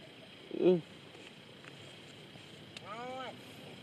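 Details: Young water buffalo calf crying while looking for its mother: a short loud harmonic bawl, then a longer, softer wavering cry near the end, over a steady background hum.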